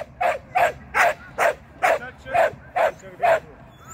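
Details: Shetland sheepdog Sian, training agility on the seesaw and tunnel, barks steadily: nine evenly spaced, sharp, mid-high barks, a little over two per second, with little else heard.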